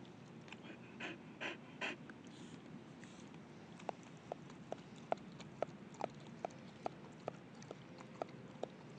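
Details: Chow Chow named Radha Shukra, a female, resting mid-walk in Silver Spring during the summer 2011 US heat wave at 101 degrees Fahrenheit; a few breathy huffs, then a steady run of short sharp clicks about twice a second.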